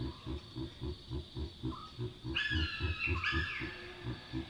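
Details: Chacma baboons calling at night in the African bush, where loud alarm barks signal a nearby predator: low grunts pulse steadily about four times a second beneath harsh, rising, strained calls near the middle of the clip.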